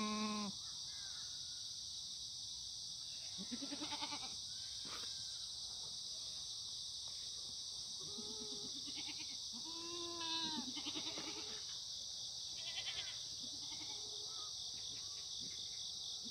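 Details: Korean black goats grazing freely on a hillside farm below Muchuksan in Gimhae, South Korea, on a clear September morning: scattered quavering bleats, some distant and some nearer, under a steady shrill insect chorus.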